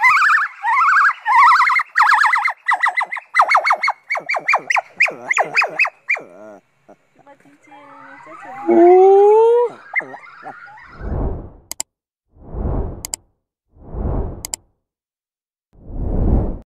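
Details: A small white-cheeked gibbon in a park, provoked by visitors, howls very loudly in a fast run of rising, swooping whoops, a call gibbons use to establish territory and reinforce family or mating bonds.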